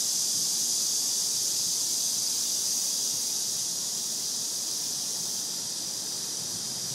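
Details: Summer cicada chorus heard beneath the shade of trees, a dense shrill drone holding one high pitch throughout, with a rapid fine pulsing inside it and slight fading toward the end.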